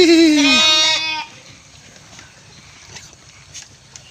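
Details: Goat being fed in its pen; one long loud wavering bleat lasting about a second, rich in harmonics and falling slightly, then quiet pen background with faint knocks.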